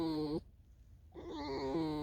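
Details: Tame fox Alisa in falling snow, luring her keeper toward a field: a steady, clear, tonal whine, a break of about three quarters of a second, then a second whine that wavers slightly in pitch.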